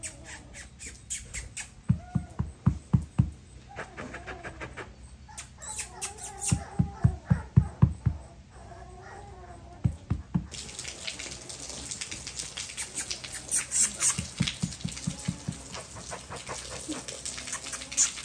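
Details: American Staffordshire Terrier puppies, a young litter learning to walk and having nails clipped, give short squeaky whines and yelps in quick irregular bursts.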